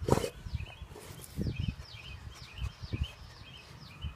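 A Basset Hound sniffs and snorts in short, low, breathy bursts while small birds chirp in the background.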